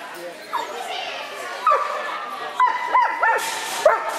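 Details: Short series of high yips and barks from Belle, a Clumber Spaniel, some with a quick up-and-down inflection, spaced irregularly about half a second to a second apart.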